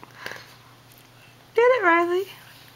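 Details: Little dog Riley crying after a baby took his treat: one loud whimpering whine under a second long, starting high, briefly rising, then sliding down and fading, after a quiet stretch with faint sniffing.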